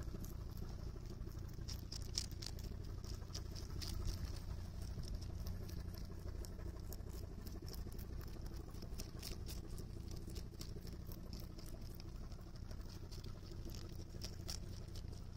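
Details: Steady cabbage chewing by a rabbit on Okunoshima (Rabbit Island), Japan, June 2021: a long run of fast, sharp crunching ticks, fairly even throughout, with low droning hum underneath.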